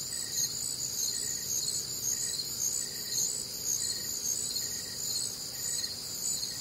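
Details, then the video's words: Crickets and other night insects on a warm, humid Midwestern summer night, a dense high shimmering chorus of overlapping trills with faint short pulses repeating roughly twice a second underneath. "Night Time Cricket Sounds"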